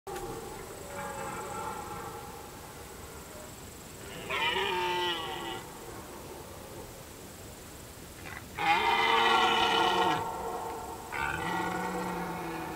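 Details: A red deer stag in the rut, recorded up close from a hide among reeds, gives drawn-out, harsh, harmonic roars.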